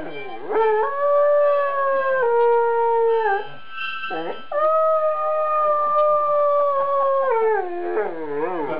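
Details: Two-year-old Afghan Hound howling along as a harmonica is played: long, steady, sustained wails with sliding onsets and wavering ends, two main howls separated by a short break.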